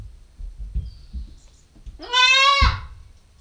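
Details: Nubian goat kid, a 9-week-old female filmed on a GoPro stakeout, gives one loud wavering bleat of about a second with rich stacked harmonics, preceded by soft thumps and a faint thin whistle.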